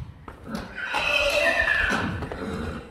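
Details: Friesian horse neighing in a pasture where mares meet young horses newly moved in; one long, strong whinny with tonal harmonics lasting about a second and a half, with faint background rustling.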